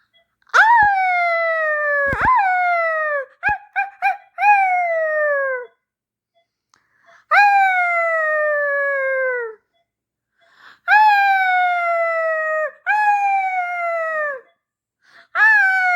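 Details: Ezra Charles III, a xolo Mexican dog, voicing a series of long, falling, wailing howls rich in harmonics, preceded by sharp clicks and a quick cluster of short yips, pausing between bouts inside a quiet room.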